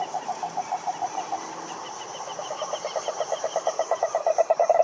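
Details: Rhinella marina, the cururu toad, at a lake in Brazil's Atlantic forest: slow separate low pulses give way to a quicker, louder pulsed trill, with a thin steady high whine in the background.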